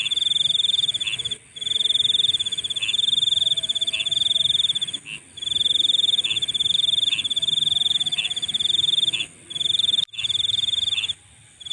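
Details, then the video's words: Insects calling at night: a steady, high, pulsing trill that breaks off every few seconds for short pauses. Brief lower chirps repeat about every second beneath it, and a faint high hiss runs throughout. "Nighttime Insect Sounds"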